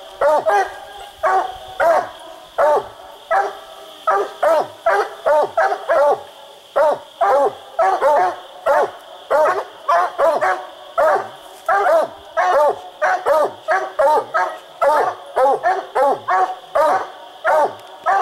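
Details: Coonhound barking treed on a raccoon hunt at night-style chase, split treed on a tree; dense run of loud, hoarse barks about one per second, sometimes doubled, steady tone behind.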